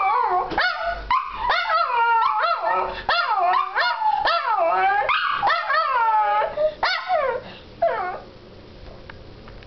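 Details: Two Shih Tzus, prompted to sing, howl together in wavering, overlapping yips and rising-falling wails.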